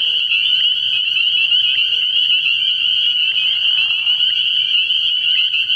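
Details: Spring peepers in full nighttime chorus at an early-year frog pond: many callers give rapid high, shrill peeps that run together into a steady piercing wall of sound, with a quiet low hum below.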